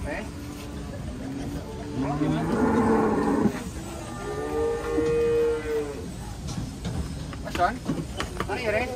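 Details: An agitated, water-shy cow lets out a long, steady, tonal low around the middle, preceded by a rougher bellow, while background music and voices continue.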